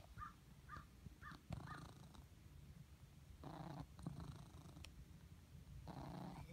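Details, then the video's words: Blizzard the cat, who gets a squeaky purr after spending the day lying in the sun, gives four short high squeaks within two seconds, then low rumbling purr bursts that swell and fade. "Cat squeaks"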